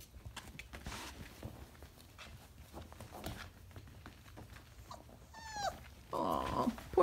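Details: Briard puppies, 4.5 weeks old, indoors: a brief high whine with stacked harmonics slides downward, then a burst of broadband rustling noise; faint background noise before.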